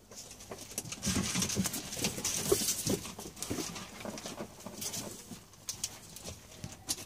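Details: Pet ferrets at play while a room is cleaned, soft clucking chuckles in quick irregular bursts mixed with scuffling and patter on the floor indoors.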